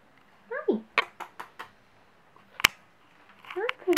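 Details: Nala, an adoptable cat at A4A Rescue, gives two brief meows that slide downward in pitch, one early and one at the end. Sharp clicks and knocks fall between them in a small quiet room.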